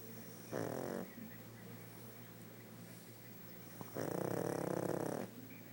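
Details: Pug asleep and snoring, a short harsh snore followed about three seconds later by a longer, pulsing, rattling snore, over a steady low hum.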